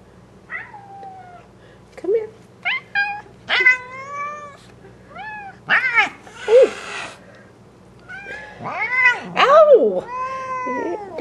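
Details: Bengal cats Papaya, Bamboo and Mango, shown a butterfly that died after a cold morning, give a run of loud, varied meows. Some rise then fall, some are drawn-out wails, and a few short chirps come in bursts over eleven seconds.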